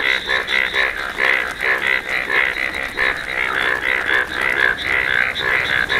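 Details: Bright yellow-coloured Indian bullfrogs giving loud, nasal croaks that overlap in a steady, pulsing chorus.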